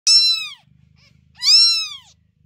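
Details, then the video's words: Newborn house kitten crying loudly, as it does at night: two shrill, high meows about a second apart, each bending up and then down, with a faint soft rumble between them. "котенок громко мяукает и кричит по ночам"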